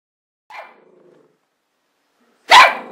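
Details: Border Terrier barking: a faint short whine-like yelp, then after a pause one loud sharp bark.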